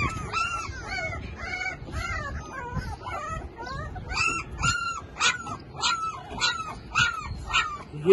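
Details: Yelping Labrador Retriever puppy, for sale in Lahore: loud, bent, whining yips repeat nearly twice a second, some overlapping, rising and falling in pitch, with faint voices and low rumble behind.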